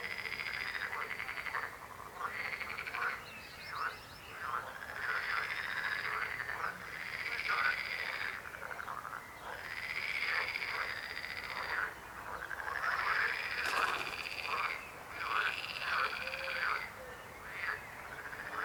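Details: Frogs croaking in a dense chorus: rattling, pulsed croaks about one to two seconds long overlap and repeat throughout, with short pauses between bursts and nothing else clearly heard.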